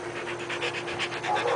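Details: Siberian Huskies, an 18-month-old UKC female and a 24-month-old AKC male, meeting for the first time in LA on 5/4/10; quick, steady panting breaths in an even rhythm, with faint human speech nearby.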